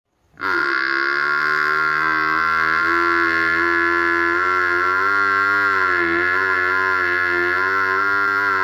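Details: Village buffalo giving one long, unbroken moo of about eight seconds, steady and richly harmonic with a slight wavering pitch, loud and close, with no other sounds.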